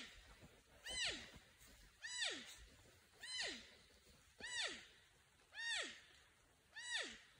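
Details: A porcupine calls out, alerting or seeking a friend or mate, with six evenly spaced whines roughly every 1.2 seconds, each a rich, harmonic note that starts high and glides steeply down. A faint outdoor hiss lies underneath.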